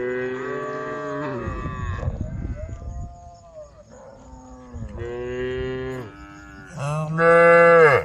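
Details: Several tame cows on a road call to the herd with long, steady harmonic moos, some rising and falling, overlapping one another, ending in a loud drawn-out moo; a brief rough noise burst near the start.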